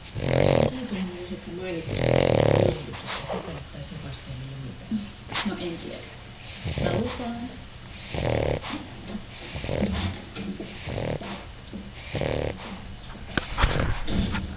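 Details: A four-month-old English Bulldog puppy snores in rough, rattling breaths, with people talking nearby.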